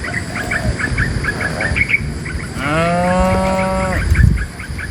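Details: Tame cows moving from the forest to their pen under a herder's guidance; a single deep, steady moo of over a second follows a run of quick repeated bird chirps.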